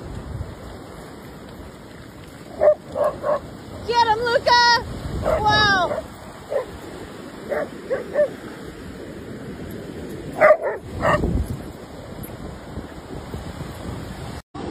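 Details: A German Shepherd playing and having fun gives scattered short barks and high, yelping yips, clustered around the middle, over a steady broadband roar, with a person's voice urging it on.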